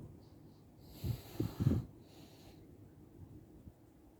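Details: Chichi, a friendly Shiba Inu kept near the Kanehama branch classroom of Arakawa school in Aomori City, Aomori, sneezes after being petted and having moulting-season fur combed out: three quick low snorting bursts within a second, with soft rustling hiss around them.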